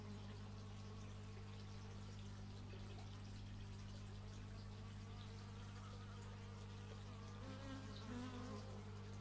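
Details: Steady humming of bees taken with an x/y stereo microphone, wavering fly-by buzzes drifting up and down over a low continuous drone, a louder pass near the end.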